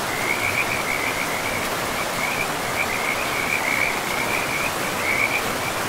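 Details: High, chirping frog trills in short bursts, one after another, from a pristine forest riverside, all at one shrill pitch against loud, steady river noise.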